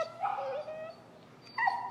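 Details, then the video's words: An extremely vocal dog in recall training with an e-collar whines: a high, wavering tonal whimper lasting under a second, then after a short pause a second, briefer rising-and-falling whine. "Working An Extremely Vocal Dog"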